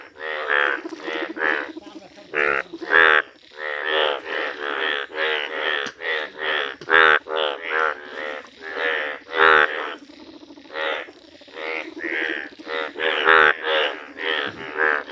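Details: Indian bullfrog, noted as a rare yellow-coloured frog, calling in nature: loud, rasping, pulsed croaks in bursts of about half a second, repeated in steady series, with several callers overlapping.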